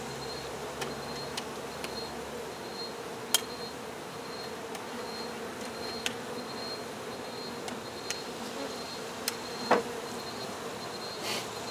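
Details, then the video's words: Honey bees buzzing during a hive removal, the queen found later: a steady, dense hum from many bees holds through the whole stretch, broken by scattered sharp clicks and taps. "Honey Bee hive Removal"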